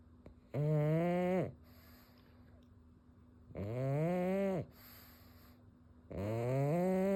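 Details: A pug snores in loud, harsh, chainsaw-like rattling drones about a second long, repeating every two to three seconds with quiet pauses between.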